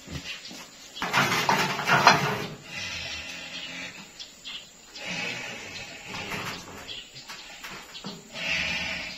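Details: Goat at an aqiqah slaughter in Martapura, held for baby Zaskia's celebration; loud strained bleats between one and two-and-a-half seconds, then fainter cries and murmuring voices in a small indoor space.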